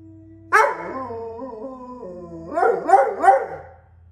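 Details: Alaskan Malamute 'talking' in a bear-style conversation: a sudden yelp drops into a sustained, wavering moan, then three quick rising-falling yowls close the phrase, with a low hum in the room.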